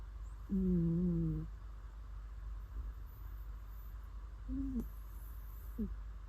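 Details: Snoring cat asleep: one clear low, wavering hum of nearly a second, then two faint short squeaky snuffles later on, over a steady low background hum.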